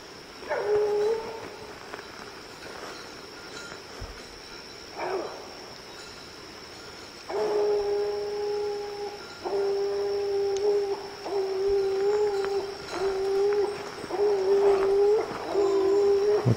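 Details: Young hunting dog Lillie, out for an evening with Dynomite and 14-year-old Sadie, bawls at a tree. A few scattered barks give way to long, steady, drawn-out howling notes, each held and then repeated about once a second.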